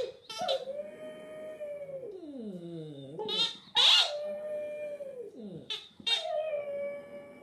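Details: Hamish the Border Terrier singing: drawn-out steady howls, each ending in a swooping downward slide, with shrill yelping onsets between phrases.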